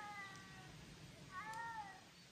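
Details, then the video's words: Ragdoll cat meowing on a walk through the Swedish countryside as its owner calls it; two drawn-out tonal meows, the second bending upward then down, with a sharp knock at the end. "Swedish Countryside Walk with cat"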